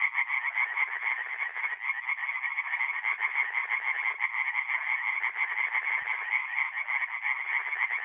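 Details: Dense night chorus of tree frogs at a forest pond in north-east Italy, mid-April: many males call at once in a steady, loud stream of fast rattling pulses with no pause.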